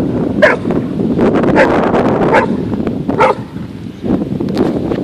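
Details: Golden Retriever named Abby swimming and fetching at Beaver Island; short sharp barks burst out among loud splashing and broadband water noise, with a person praising her nearby.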